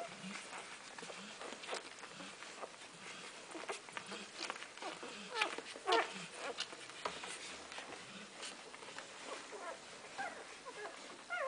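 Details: Golden Retriever puppies in their first week of life nurse, giving faint, high squeaks and whimpers among soft, wet suckling and shuffling sounds.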